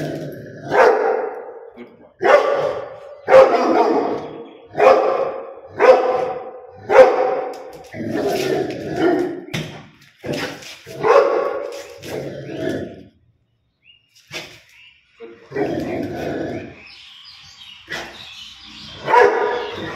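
A Rottweiler gives loud, deep barks with a rough, resonant tone, spaced irregularly about once a second. There is a brief pause midway, then a few more throaty barks follow.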